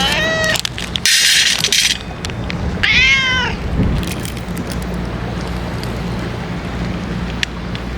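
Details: Stray ear-tipped cats being fed outdoors on a day of strong wind; two clear rising-falling meows with rich harmonics in the first three seconds, under constant loud wind roar and buffeting.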